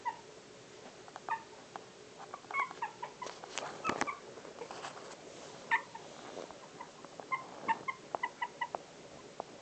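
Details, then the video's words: Pomeranian puppies, four weeks old, giving soft high-pitched squeals and mewing whimpers in irregular bursts, with occasional thumps and handling noises over a constant hiss. "Pomeranians 4 weeks old"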